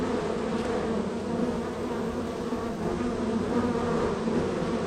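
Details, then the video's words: Hive three of a row of honey bee hives, the colony extremely active; a thick unbroken hum of many bees, steady and low, with faint shifting overtones throughout. "Honey Bee Hive #3"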